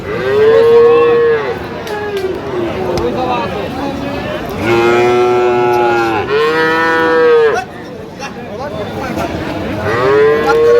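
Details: Bull calves of Friesian and cross breeds, about six to seven months old, traded to a farmer in Madaripur, Bangladesh, on 21 October: repeated loud bellowing moos, four strong calls spaced a few seconds apart over crowd noise.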